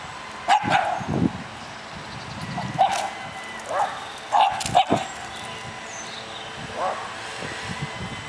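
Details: Spanish greyhound challenging another dog: short, sharp barks come in irregular bursts, some doubled, spread across several seconds, with people talking nearby.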